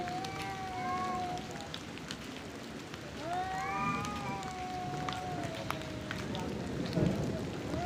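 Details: Angry male cats in a fight over area and mating give sustained wailing yowls, one early and a longer rising-then-falling howl midway, against a constant hiss of outdoor background noise.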